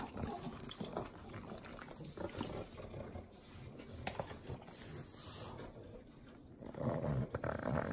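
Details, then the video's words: Butter-eating pugs, three dogs, in the Inland Empire of Southern California. Rapid wet licking clicks and smacking with snuffling snorts and a throaty grunt near the end. "Pugs Eating Butter - Calming Sounds of Sloppy Licking, Snorting"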